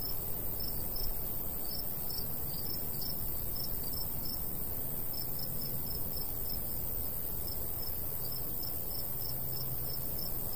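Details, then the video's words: Crickets in a golden wheat field in the summer countryside, with a light breeze. Short, high chirps repeat in quick, uneven bursts over a steady high ringing tone. Strong low wind rumble runs underneath throughout. "Countryside/cricket sounds"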